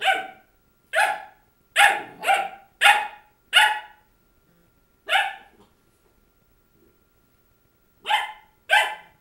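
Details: Krystal, a labradoodle puppy, barks at her reflection on January 6, 2009, a rapid run of six high, sharp yaps, a pause, one more bark, then a quick pair near the end.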